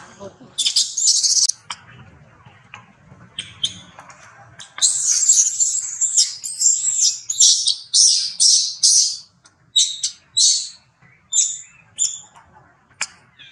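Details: Infant monkey crying loudly as his mother repeatedly rebuffs him during breastfeeding: piercing, very high shrieks in rapid uneven bursts, over two per second, some long and wavering, with gaps of quieter rustling.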